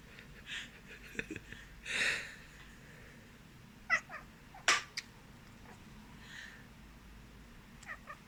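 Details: Pet cat responding to sneezing indoors: brief breathy sounds early, then several short, sharp, rising-and-falling meows around the middle and a final quick chirp, with low room noise throughout.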